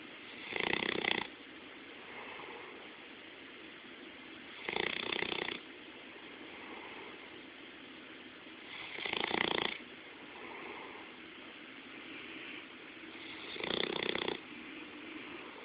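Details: Sleeping Bloodhound, recorded up close, snoring in four loud rattling bursts spaced about four to five seconds apart, each lasting roughly a second, with soft breathing between them.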